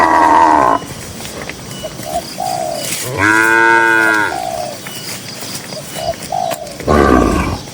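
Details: Tame cattle grazing in a cool green field in the countryside give three moos: a loud brief one at the start, a long falling harmonic moo mid-clip, and another at the end, with short tonal chirps between.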